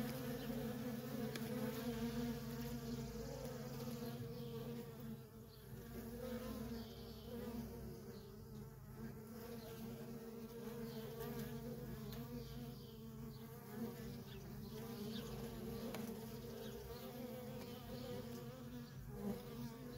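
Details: A feral honey bee colony with worker bees flying in and out nonstop. The swarm produces a constant, thick drone, steady in loudness, with individual bees passing close now and then.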